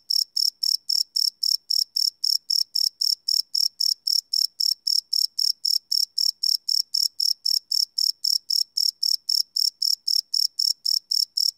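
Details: Nighttime cricket calling, captured live with a Sony PCM D100: shrill, even chirps pulsing roughly four per second in a continuous regular train against a silent background.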